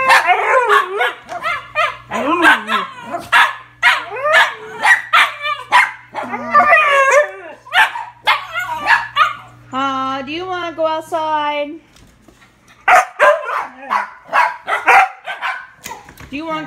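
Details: Two Siberian huskies eager to go outside to potty: rapid, excited yips and short barks tumbling over each other, a wavering drawn-out howl-like whine around 10 to 11 seconds, then more quick barking.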